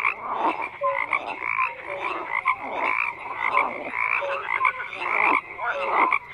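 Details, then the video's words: Many frogs croaking together in a dense chorus, overlapping rough croaks and short pulsed notes, with brief tonal calls dipping downward, no other sounds. "FROGS CROAKING"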